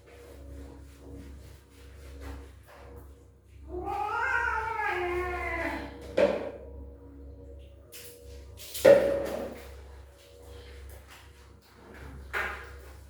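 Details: Kitten meowing loudly as it refuses a bath: one long, drawn-out, wavering meow with rich harmonics lasting about two seconds, followed by a few sharp knocks and thumps and a faint later cry, over low steady background hum.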